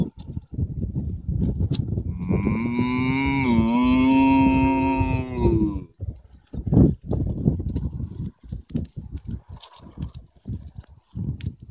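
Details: Cattle in a field in Ireland: one long harmonic moo from about two to six seconds, steady then slightly dipping, followed by shuffling, rustling and low handling noises.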